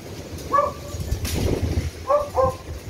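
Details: Beagle during rescue dog training to find victims: a short bark, a burst of rustling noise, then two quick clear barks in succession, with steady low rumble of wind or vehicle noise.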